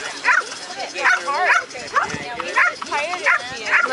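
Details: Shade, a female American Staffordshire Terrier at an AKC Coursing Ability Test in Ocala, Florida, in April 2012, barks while chasing the lure. Loud, harmonic barks come in an irregular series, with human voices behind.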